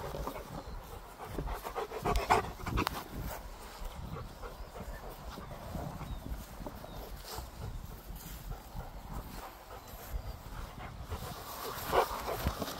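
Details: Gorlock The Destroyer, a pet dog, panting steadily while eating and playing, with rhythmic breathy huffs and a couple of sharper clicking sounds near the start and end.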